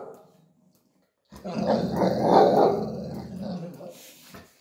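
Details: Small Chihuahua growling indoors while bullying a large Pitbull over dog bowls, a low rumbling growl rising and peaking mid-clip after a short silence, with a woman's voice and faint music in the background.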